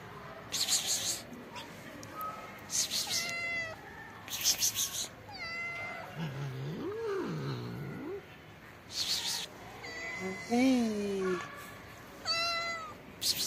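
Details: Hungry black kitten hiding under trees, waiting to be fed, gives repeated high, tonal meows, some rising then falling, amid rustling bursts and a person's soft calls and low murmuring.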